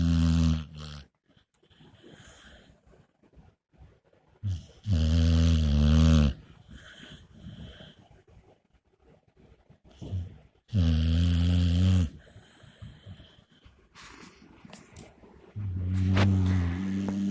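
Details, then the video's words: A Pit Bull asleep on a couch indoors, snoring loudly. Deep, rumbling breaths come in long bursts of one to two seconds, about every five seconds, with quieter breathing and faint rustling between them. "Pitbull snoring"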